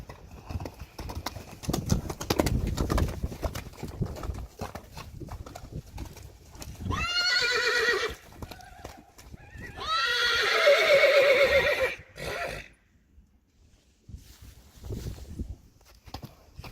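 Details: Two-year-old Friesian colts playing in mud, recorded March 3, 2020. Hooves thud and squelch, then a short loud whinny and a longer, quavering neigh of about two and a half seconds follow, with quiet hoof movements between and after.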